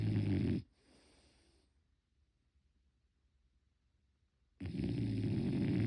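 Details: Sleeping French Bulldog puppy Motchi, unedited: a deep snore breaks off into a softer wheezy breath, then several seconds of near silence before another loud rumbling snore begins.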